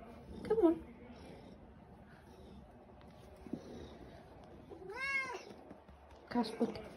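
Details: Plump, fluffy white pet cat, very talkative, wanting breakfast indoors: one long wavering meow in the middle, short chirrupy cat sounds at the start and end, and quiet human voice around them.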